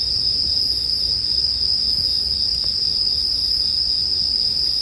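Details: Bell crickets in a sleep soundscape paired with a bonfire: a steady, unbroken high ringing tone with no gaps, over a soft low rumble, with one faint crackle near the middle.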